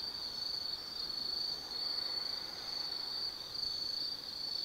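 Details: Autumn insects singing at night in the Tsukimi no Mori forest at Nanno-cho, Kaizu, Gifu, Japan, beside a lookout 180 m above the Nobi Plain. A steady, thin, high-pitched trill runs almost unbroken, with slight dips in volume every second or so.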